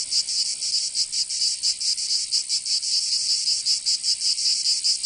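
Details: Provençal cicadas in summer, southern France, fill the air with a steady high-pitched rasping drone that swells and dips in rapid, slightly uneven pulses.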